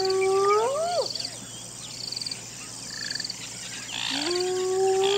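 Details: Hyena whoops at the start and end, each a rising tonal glide that bends at the top, with a quieter gap between. Insects trill and click in the background.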